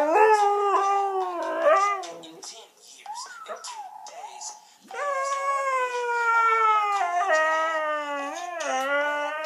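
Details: A female Siberian Husky gives long, wavering, whining howls that rise and fall in pitch while a Chris Brown song plays; the owner thinks she hates the song and wants to sleep.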